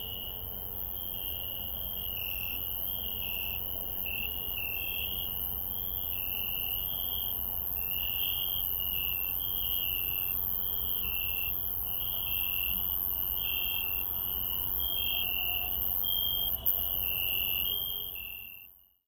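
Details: Crickets are heard on a night walk in a garden. There is a steady run of rapid, high, pulsed chirps repeating several times a second, over a faint constant shrill whine and low background hum, with a brief click near the end.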